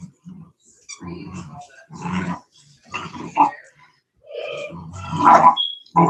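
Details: Cane Corso (Italian Mastiff) from a breeder's pack west of Nashville, Tennessee, giving short deep grumbling growls in bursts of about half a second to a second, with a brighter whiny rise near the end and voices mixed in.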